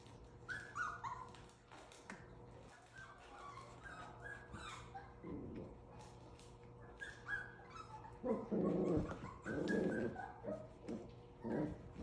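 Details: Havanese puppies, seven weeks old, at play: high whining squeals and short yips scattered throughout, with louder low growly scuffling near the end and a steady electrical hum underneath.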